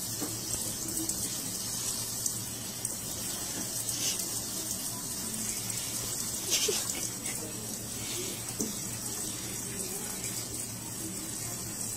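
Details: Running tap water splashes steadily indoors under a faint electrical hum, with occasional soft clicks and no animal voice.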